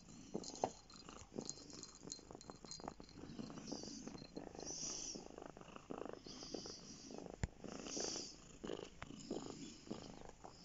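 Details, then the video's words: Purring from Bear, a pet cat settled on someone's lap; a soft, even, continuous rattle of low pulses with gentle breathing swells and one sharp tap partway through. "Bear lap cat"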